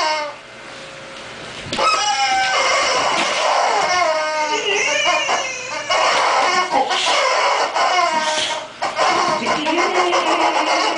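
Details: Boxer dog making funny sounds: after a quiet opening, a long run of wavering, harmonic whines and yowls that slide up and down in pitch, broken by short pauses, with a person briefly audible.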